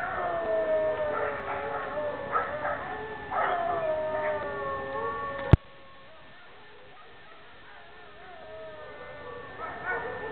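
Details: Several dogs howl together in long, wavering, drawn-out tones that rise and fall and overlap. The chorus fades to near silence after a sharp click midway, then the howling slowly picks up again.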